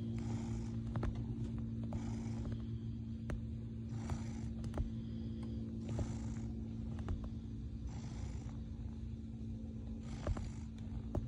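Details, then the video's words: Male cat kneading, making biscuits in his bed, purring: a steady low rumble throughout, with soft breathy surges roughly every two seconds and a few faint clicks and taps. "The cutest purring biscuit making kitty cat"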